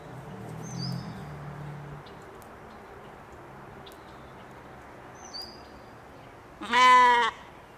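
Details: Katahdin sheep at play on a Michigan homestead in the evening; low rumbling background and a couple of faint bird chirps, then one loud, harmonic bleat near the end.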